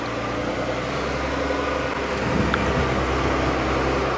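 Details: A steady vehicle engine drone fills the recording, with no animal calls standing out.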